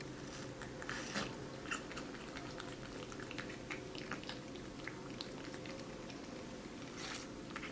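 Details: Kitten eating watermelon indoors: a busy stream of wet, crisp clicks and crunches from biting and chewing, irregular and close, over a steady low room hum.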